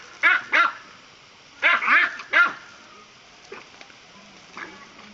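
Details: Pet dachshund barking while playing with water poured on him: two quick sharp harmonic barks, a pause, then three more in a tight burst, followed by faint scattered noises.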